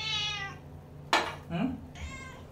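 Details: Domestic cat crying loudly to beg for food indoors: a harmonic meow in the first half second, a sharp clatter, then two more short meows, with a person talking nearby.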